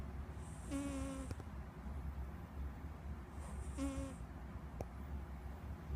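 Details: Snoring house cat named Squeak: two drawn-out wheezy breaths, each with a thin whistling tone and airy hiss, separated by about three seconds of quiet hum.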